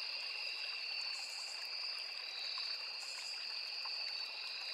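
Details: A forest chorus of crickets near a small river: a steady, piercing two-tone trill that never pauses, with brief brighter swells around the first and third seconds, above gently babbling water.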